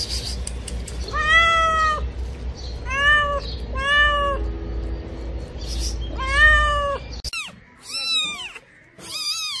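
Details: Domestic cat giving a series of drawn-out, arched meows, about six in all, each rising then falling, spaced a second or two apart over a low steady hum, with a sudden cut midway.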